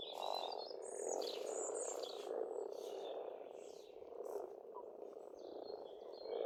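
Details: Spring frog chorus from an Estonian farm pond, a continuous throbbing murmur swelling and easing every second or so, with scattered high bird whistles and twitters above it.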